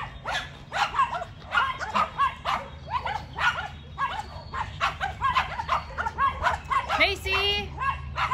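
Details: Macy, a Yorkshire Terrier, trades barks with two neighbour's dogs: quick, high, sharp barks roughly every half second, with a short squeaky yip near the end.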